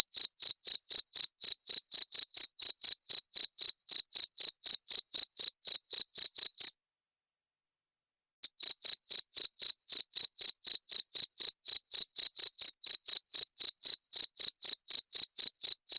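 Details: A cricket, presented as a sound to drive away rats, chirps in rapid regular shrill pulses about four per second, broken by a silent gap of nearly two seconds midway before resuming the same steady chirping.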